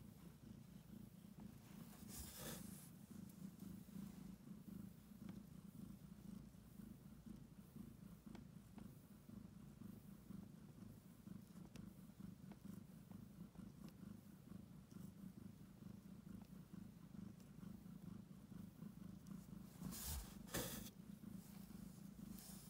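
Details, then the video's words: Domestic cat close to giving birth, purring heavily while kneading the air: a steady, low, rough rumble with a continuous throbbing pulse throughout, broken by a couple of brief soft rustles. "고양이 출산 임박 : 폭풍 골골이 허공 꾹꾹이"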